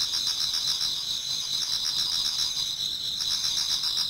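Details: Many autumn insects singing in a Japanese garden toward dawn: a dense, continuous high-pitched trilling chorus with steady pulsing shimmer, several overlapping singers, no other clear sounds.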